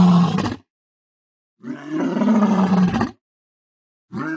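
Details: Lion giving deep roars: a short low burst, a second of silence, then a rough, drawn-out roar of about one and a half seconds, and the start of another at the close.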